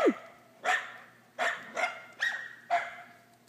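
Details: Gordon, a Scottish terrier afraid of a pool toy, barks in single sharp, hoarse woofs spaced about every three-quarters of a second, each bark fading quickly into a quiet background.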